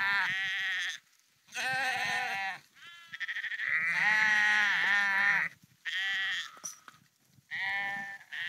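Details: Walking sheep on a North Frisian dike near Husum give separate loud bleats, each about one to two seconds long and wavering, from several animals, with short quiet gaps between calls.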